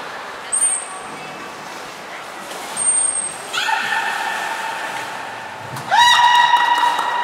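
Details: Belugas Niko and Mirai during training at Port of Nagoya Public Aquarium, 29 February 2020: brief very high whistles, then a bright harmonic tone rising sharply and holding steady near the end.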